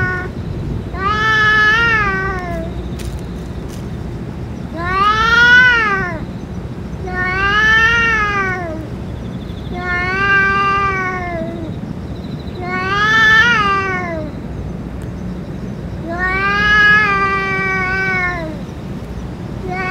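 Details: Stray cats where a boss cat has eaten food and medicine; loud drawn-out meows with arched, wavering pitch, about six calls spaced roughly every two to three seconds over a steady low background hum.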